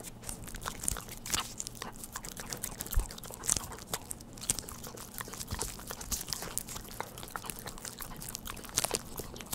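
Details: Indoor close-up of a family dog eating Churu treats, no speech: rapid, crisp smacking and crunching clicks packed closely together, bright and crackly, over a quiet low hum.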